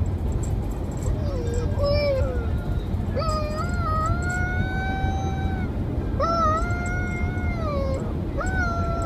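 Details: Domestic dog howling in a series of drawn-out tonal notes, the first low and wavering, later ones higher, rising at the start and gently falling, each lasting one to two and a half seconds, with constant low rumble behind.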